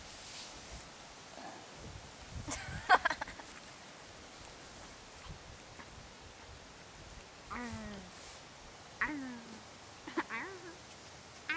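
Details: Parson Russell Terrier puppies from Kennel Danscan, summer 2011, outdoors: a few short, high whining yelps with rising then falling bends in the second half, spaced a second or two apart, amid rustling and Danish voices nearby.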